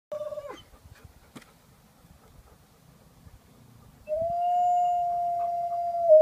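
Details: A domesticated wolf gives a brief opening note, then a long, steady, mournful howl held at one pitch.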